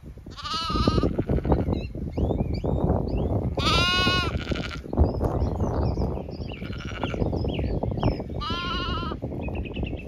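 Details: Zwartbles sheep flock moving to windcharger field for cool late afternoon grazing on a regenerative farm in County Kilkenny, Ireland, with lambs; three harmonic, wavering bleats over steady rustling and munching, small birds chirping throughout.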